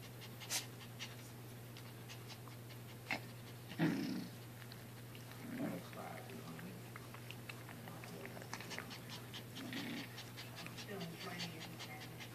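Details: Crystal and Drizzle, sister Maltese puppies aged five months, play-wrestle while tired, mostly mouthing on their backs; scattered soft grunts and low whiny murmurs appear among snuffles and rustling, over a constant electrical hum.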